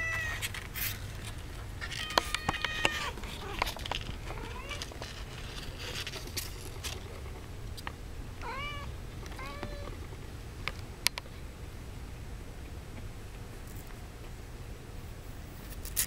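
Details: Domestic kittens about two and a half weeks old giving short, high, arched mewing calls, a few in quick succession around the middle, mixed with scattered clicks, rustling and handling noise over a low steady hum.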